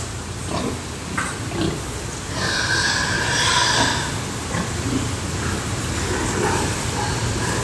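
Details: Pigs in a pig house on a farm: a drawn-out, tonal squeal lasts more than a second near the middle, with scattered short grunts before and after, over a steady low rumble and background clatter.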